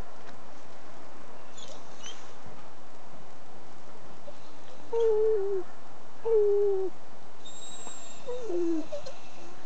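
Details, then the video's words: Diesel, a pet dog, trying to sing with a funny noise: three drawn-out wavering howls, each sliding downward, spaced over the last five seconds, with faint background hiss. "BARKING&SINGING POOCH!"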